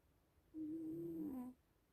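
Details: Snore from one of the sleeping little cats: a single steady, tonal breath lasting about a second, holding one pitch and then dipping slightly at the end against a quiet background.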